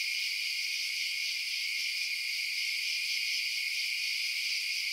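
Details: Crickets chirping at night in a steady, unbroken high-pitched chorus, a layered shimmering trill with no pauses and no other sounds.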